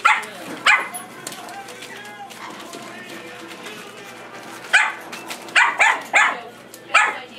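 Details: Chihuahua playing with puppies, giving a short sharp bark early on, then a burst of four or five quick high yaps near the end, over a low steady background with voices and music.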